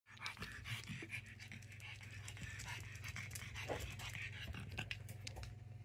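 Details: Energetic puppy with a longer nose than a pug, panting rapidly: quick breathy huffs repeat steadily through the whole stretch over a constant low electrical hum, with a few faint clicks and rustles.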